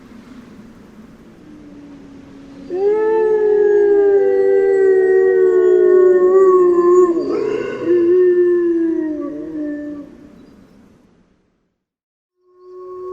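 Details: A single grey wolf utters a long, clear howl of about seven seconds, held almost level with a slight waver and a gentle fall at the end. A brief silence follows before another howl begins.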